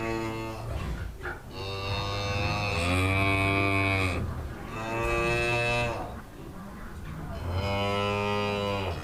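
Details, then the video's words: A farm cow lows three times in steady, resonant moos of about two seconds each, the pitch holding level then dipping at the end, with soft background rumble between calls. "CUTE FARM ANIMALS: COW, HORSES, GOAT I Animal Sounds"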